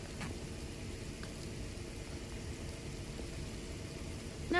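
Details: Steady low rumbling background noise with a few faint clicks and a short louder sound at the very end.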